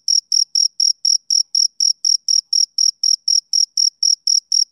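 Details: Summer-evening male cricket giving a rapid, unbroken series of high-pitched chirps, close to four per second, each pulse crisp and equal in strength, with nothing else audible.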